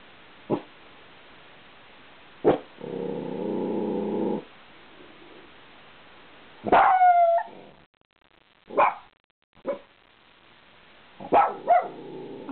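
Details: Puppy perched on top of a couch in a home office, barking at passing cars; sharp separate barks, a rough purring growl, and a yelping howl-like bark, with a woman's voice close by.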